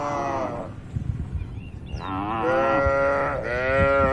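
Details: Tame cattle roaming and grazing freely in open countryside: a drawn-out low moo, then after a pause a longer, rising and wavering moo, with steady wind rumble in the background.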